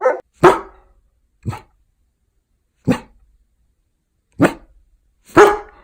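A German Shepherd gives sharp, single barks at uneven intervals, about one each second.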